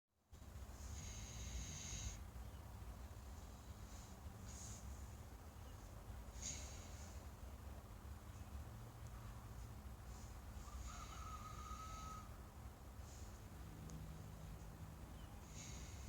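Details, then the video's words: Breeding trio of American Guinea Hogs sleeping at One More Thing Farm, snoring in slow, breathy rasps that recur every two seconds or so over a steady low rumble, with soft hissing exhalations. "Pigs snoring"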